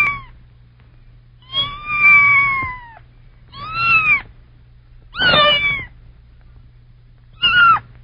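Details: Kitten, a young cat, giving five high, harmonic meows. Two are drawn out and gently falling, and the others are shorter, rising then falling. Quiet pauses separate them, over a faint steady low hum.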